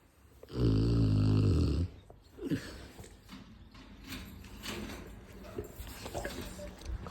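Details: A sleeping Rottweiler gives one loud, long, rumbling snore lasting over a second near the start. Quieter breathing and room noise follow.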